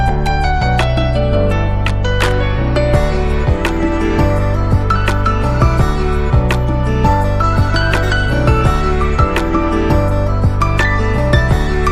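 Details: Steady instrumental music with a deep bass line and bright melodic notes plays throughout, with no animal sound.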